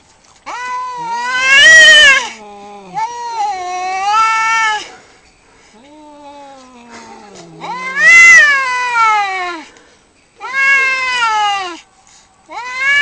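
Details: Two cats squaring off in a fight exchange a series of long, warbling caterwauls, some swelling into loud strained peaks and others sinking to low, sliding moans, with short pauses between.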